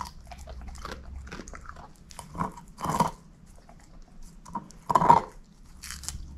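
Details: Shepherd mix dog indoors eating a bone, gnawing with crunchy, cracking bites in irregular bursts, the loudest snaps near the middle and toward the end, quiet low hum in the background, no talking.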